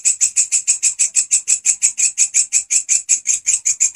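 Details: Grasshopper singing loudly and persistently, kept as a master sound for training songbirds: a steady train of hissing, high-pitched pulses, several each second, evenly spaced and unbroken throughout.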